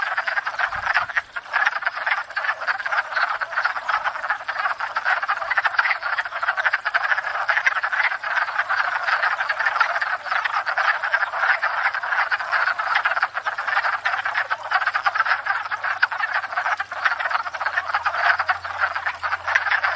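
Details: Spring chorus of many wood frogs at a pond, where they come each year to court and breed; a nonstop mass of chuckling, quacking croaks, with a faint low hum appearing near the end.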